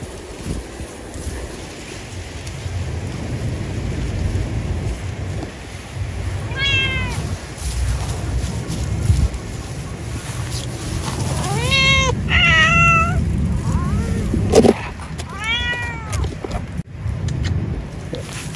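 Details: Cat eating after work on an animal husbandry site, meowing repeatedly: short, arched, nasal meows come singly and then in quick clusters of two or three over a steady low hum, with a sharp knock partway through.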